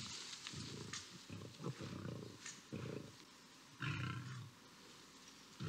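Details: Lions fighting on a grass field in Botswana while a lioness intervenes between two males; deep rasping growls and roars come in bursts of roughly half a second to a second, with short pauses between them.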